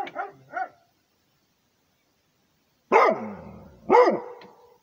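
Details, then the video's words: Rhodesian Ridgeback defending its territory: two quick lighter barks, a pause of two seconds, then two loud deep barks about a second apart, each dropping in pitch and trailing off. "Rhodesian ridgeback barking for the territory"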